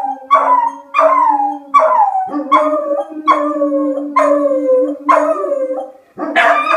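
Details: A Beagle named Rufus and a German Shepherd named Axle answer a tornado siren with howling, steady bayed pulses about once a second over a long sustained low howl, ending in a louder outburst.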